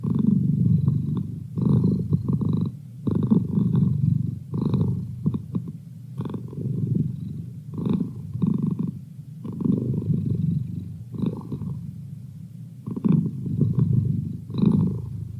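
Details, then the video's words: Pet cat purring as a virtual study buddy for timed sessions, a low throaty rumble rising and falling with each breath, about eight purring cycles separated by short quiet gaps. "Cat Purr"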